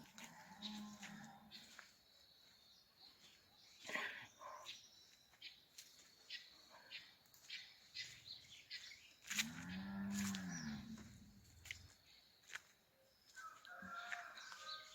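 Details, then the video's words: Cattle on a farm (roça): one drawn-out, low moo that rises and then falls near the tenth second, with a fainter low call at the start, among clicks, rustling and rural background noise. "Roça gados porcos miquinho som da natureza"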